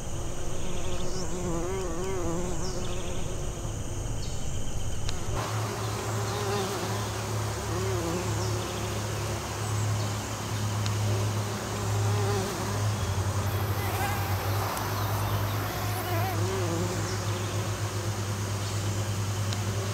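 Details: Western bumblebees working American Basswood flowers for pollination; several wavering buzzes that rise and dip as bees fly about, high chirping notes early on, then a steady low engine-like hum underneath.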